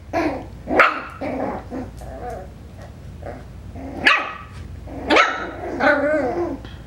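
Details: Five-week-old Coton de Tulear puppies from Hannah's litter bark and yip in short, high, harmonic bursts, with softer growly whines between sharper yelps near the one, four and five second marks.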